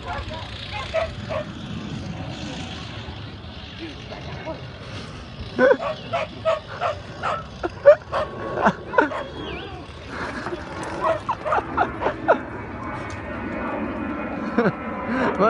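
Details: Rhodesian Ridgeback at a lure coursing session with a second dog on 10 June 2016, not very keen on the lure; a burst of short, sharp barks and yips repeated over several seconds, with people talking and steady background hum.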